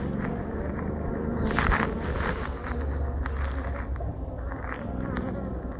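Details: Honey bees at a hive during the splitting of a colony, with a queen cell given so a new queen hatches within about two days; a steady, dense low humming buzz fills the clip, with brief clattering and handling noises.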